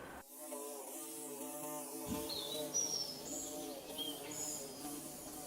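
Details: Bees building their nest, recorded with DSLR and phone: a steady low droning buzz with layered harmonics holds throughout, while brief high bird chirps flicker above.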